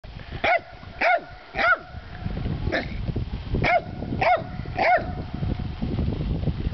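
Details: Dog barking at trout: sharp, harmonically rich barks repeated roughly every half second to second, about seven in the clip, with steady low background rumble between them.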